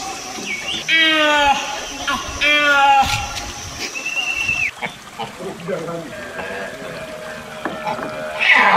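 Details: Nasalis larvatus giving a pair of buzzy, harmonic, downward-sliding calls and a short level whistle, then quieter mixed sounds and splashing water.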